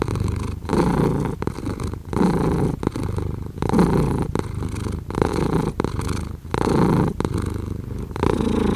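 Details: Close purring from a house cat: a soft, vibrating rumble that rises and falls in regular breathing waves roughly every one and a half seconds, with no other sounds.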